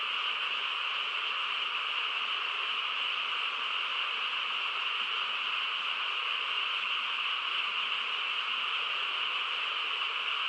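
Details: Frogs calling together on a quiet countryside night, a dense, unbroken chorus that merges into a steady shimmering drone with no single voice standing out, holding level throughout with no other sounds.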